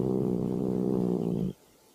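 A domestic cat gives a steady, dark, low-pitched growl with its mouth closed, then falls silent.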